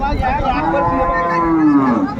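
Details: Hariana bullock cattle for sale at a Bangladesh market, 21 April 2024: a single drawn-out moo that swells, then bends downward at the end, with market chatter around it.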